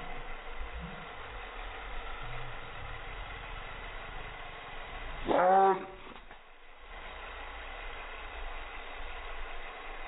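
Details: Small Chihuahua dog reacting to helicopters, giving a single harmonic, arching bark-yowl about halfway through, with a continuous low rumble and hum underneath and otherwise no calls.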